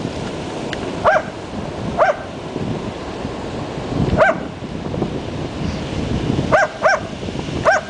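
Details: Two dogs, Zach and Kapo, barking at their owner while playing at the beach; sharp single barks and quick doubled barks come irregularly over steady rushing surf and wind noise.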